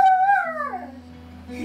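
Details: Pet Siberian husky 'singing' indoors: one short howl that starts steady, then slides downward and fades within about a second. A low, steady musical drone plays underneath.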